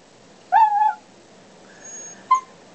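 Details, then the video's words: Talkative pet dog Ollie answering questions about his office day with a drawn-out, slightly bending whine, a softer quieter moan, then a brief sharp yelp, each separated by short pauses; a person's voice questions him between sounds. "Dog talking about day at the office."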